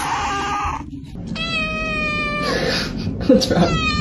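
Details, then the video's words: Kitten meowing: a drawn-out harmonic meow that holds level then dips, followed by shorter falling meows, over a steady background of music. "cat meowing"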